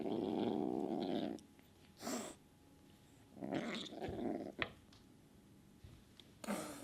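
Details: Moody kitten Sunshine, an alpha cat wanting to be boss of the house, attacking the other cats indoors: a low, steady growl for over a second, then sharp breathy hiss bursts, with a further rumble and hisses between.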